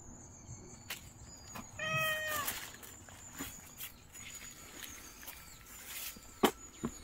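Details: Nureongi, a timid stray mother cat, gives a single short, clear meow outdoors, followed by scattered clicks, rustling and a sharp knock amid a constant faint high-pitched hum.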